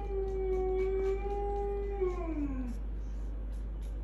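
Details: One drawn-out dog howl from a household group, a clear, steady tone held for about two seconds before sliding downward and fading, over a low background hum.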